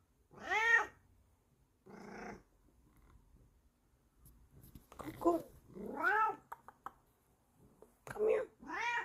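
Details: A Bengal cat acting as a furry alarm clock to wake its owner, letting out insistent rising-and-falling meows with short pauses between them, a few quieter chirping sounds in the gap, indoors.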